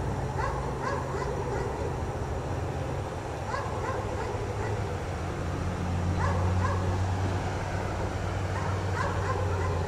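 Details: A chained dog left outdoors in snowy cold keeps barking, short sharp barks in clusters of two to four separated by pauses, with a low engine-like drone rising underneath.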